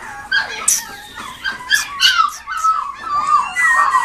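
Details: Toy Poodle x Shih Tzu mix dog at a pet shop in Nagoya, Japan, giving thin, high whimpers and whines that waver up and down in pitch. Short squeaky bursts come one after another across four seconds with brief quiet gaps.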